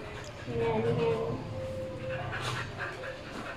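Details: Border Collies Kuki and Keebler, two pet dogs playfully courting each other indoors; a steady, thin whine holds one pitch for nearly a second and then returns more faintly, with people talking throughout.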